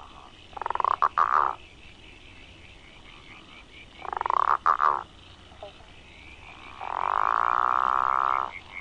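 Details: The call of the Growling Grass Frog (Southern bell frog) of Victoria's waterways: a long, rolling growl like a low-revving outboard motor, broken by short croaks.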